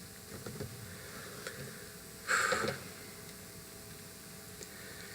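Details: Quiet room hiss with a few faint ticks and one brief burst of noise midway, and no animal sound.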